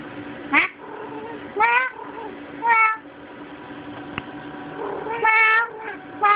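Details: Kitty, a domestic cat that attacks her own tail about every five minutes, recorded on a Sprint Evo phone: five loud, harmonic meows, each rising then falling, spaced about a second apart with a gap mid-clip, over a steady low hum.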